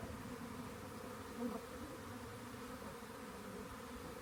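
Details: Honey bee swarm discovered by a rain gauge before collection, giving a continuous low, thick hum of many wings, with a brief swell in the middle of an otherwise unchanging drone.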